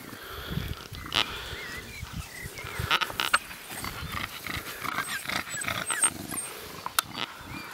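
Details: Six-week-old Staffordshire bull terrier puppies at a breeding kennel in the Alpes-Maritimes, PACA, France, during play and socialisation. Rough snuffling grunts and short growly bursts come in irregular clusters, with thin high bird chirps scattered behind.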